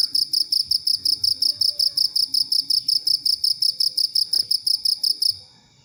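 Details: Cricket sound offered as a master for training songbirds; a continuous train of bright, shrill pulsed chirps at a steady rhythm, about three a second, stopping abruptly near the end.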